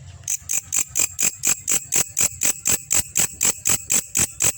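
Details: Belalang kecek grasshopper recorded to train songbirds: after a brief quiet start, crisp rasping pulses begin and repeat rapidly and evenly, around four per second, growing slightly louder before holding steady.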